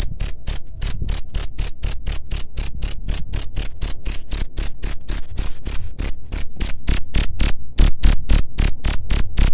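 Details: Cricket chirping, offered as a sound to drive away rat pests: a steady stream of short, shrill, high-pitched pulses, about four each second, with loud low thumps beneath each chirp and no other animals.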